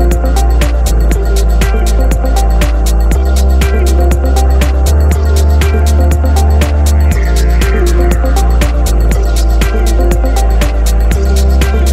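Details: Loud electronic music with a steady driving beat and deep bass runs throughout, with no animal voice audible.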